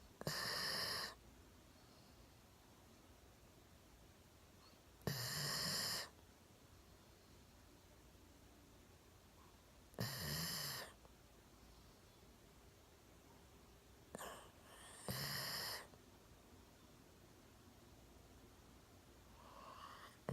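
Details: One-year-old Golden Retriever named Milo, sound asleep indoors on a sofa with his chin resting on a table, snoring in loud breathy bursts about every five seconds, each lasting roughly a second, with quiet pauses between.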